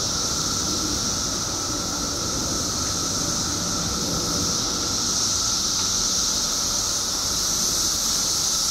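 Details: A mass of periodical cicadas in Illinois, out after 17 years underground, fills the air with a continuous piercing hiss and a droning whine, a seamless wall of sound that swells slightly toward the end.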